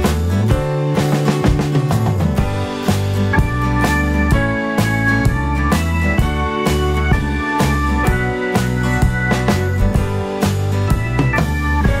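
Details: Upbeat band music with guitar and a regular drum kit beat plays throughout, and no animal sounds are heard.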